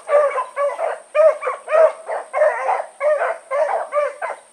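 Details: Blackreek pack of four, Choco, Dino, Johnny Ringo and Mingo, running in the evening on August 16, 2014; rapid, slightly uneven barks nearly two per second, voices overlapping, with a steady high hum in the background.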